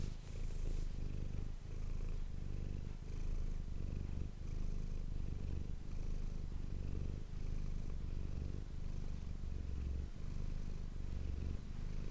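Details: Domestic cat named Manis purring, recorded on an ASMR microphone: a steady low rumbling purr in cycles of breathing in and out, roughly every one and a half seconds, with a brief hiss at the start.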